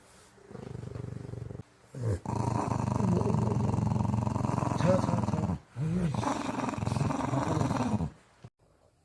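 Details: Chorong, an 11-year-old female Maltese weighing 7.8 kg, kept as a house pet, growls in long rough rumbling bursts lasting about three seconds each, with a brief pause between them and a person's voice nearby.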